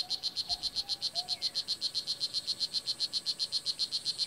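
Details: Blue jeans poison dart frog (Oophaga pumilio) filmed at the Kahka Creek Rainforest Preserve in Nicaragua; a rapid, very regular train of high chirping pulses, about four per second, runs throughout, with faint lower whistles from other creatures behind.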